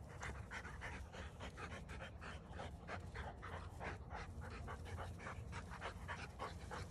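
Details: Two Rottweilers playing with bowling balls grumble low and breathe in quick, panting bursts, several times each second, as they get close to each other.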